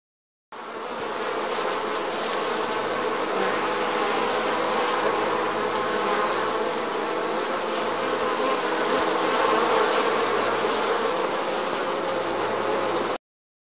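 A dense, steady hum of many bees buzzing together, droning without pause.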